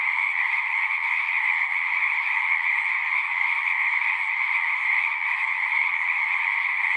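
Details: Frogs singing together in a dense, unbroken chorus: a steady, high, shimmering trill that holds an even loudness throughout, with no pauses and no other sounds.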